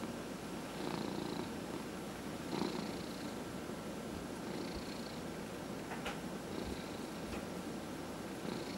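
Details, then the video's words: Massaged cat purring steadily, low rumbling throughout, with soft airy breath sounds recurring about every two seconds and a few faint clicks or taps. "Four Purring Cats — Cat Massage"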